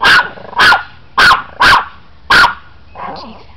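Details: Chihuahua teased by a person, letting out five sharp high yaps roughly every half second, followed by a faint softer sound.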